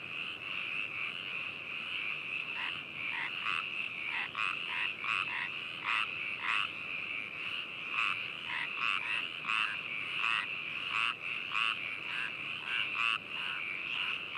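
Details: Frogs recorded on 4 May 2018 at Hakushu, Hokuto, Yamanashi, Japan, with binaural microphones and a ZOOM H2n: a high continuous trill beneath irregular, loud, raspy croaks from several callers.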